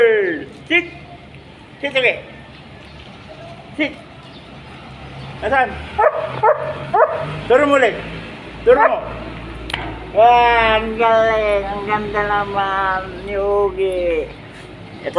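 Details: Belgian Malinois during bomb-search training with a cellphone device, first scattered short yips, then a run of high wavering whines and whimpers repeated over several seconds.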